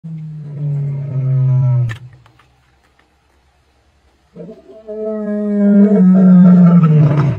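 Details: Lioness of the Tsalala pride roaring on 12 February 2024: a deep, drawn-out moaning roar sliding downward, a short pause, then a second louder, longer roar with rich harmonics that fades away.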